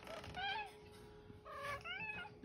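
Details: Famous for saying "okay", the OK Cat, a female pet, utters two short tonal meows about a second apart, the second longer and bending upward then down, against a faint steady hum indoors.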